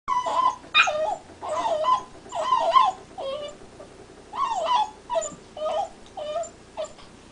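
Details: Black Labrador Retriever puppy whimpering while chewing, believed to be teething; a series of high, wavering whines and yelps, about eight bursts in seven seconds, each sliding and breaking, over quiet background.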